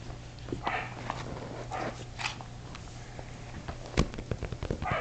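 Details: Shetland Sheepdog puppies, 7.5 weeks old, playing together indoors in a great room: climbing, jumping, wrestling and chewing. Scattered short, high yips and barks break out over soft thumps of play and a low steady hum.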